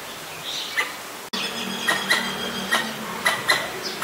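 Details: A Pallas's squirrel (Callosciurus erythraeus) gives sharp, clicking chucks at an uneven pace, an alarm call at danger, in Ubon Ratchathani, Thailand, on 1 January 2023.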